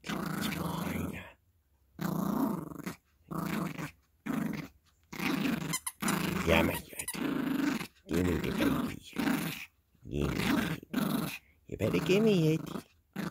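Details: Yorkshire Terrier puppy Gracie plays with a squeaky elephant in a small room, giving repeated gravelly growls about every second, some rising and wavering, while a person talks over the play.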